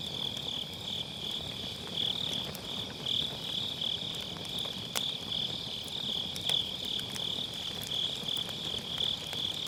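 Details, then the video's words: Steady pulsing chorus of grass insects on an autumn night, high and even, with occasional sharp firewood crackles from a campfire in a round fire pit; Sennheiser MKE600 microphone, low cut on. "가을밤 풀벌레 소리"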